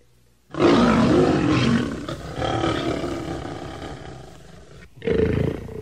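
A lion gives a long, harsh, rumbling roar, then starts a second one after a brief pause.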